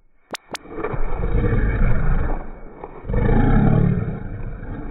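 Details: Affectionate growling from a pet Shiba Inu toward its family, not an angry sound. Two sharp clicks come first, then a continuous deep, gravelly rumble that swells again after a brief dip.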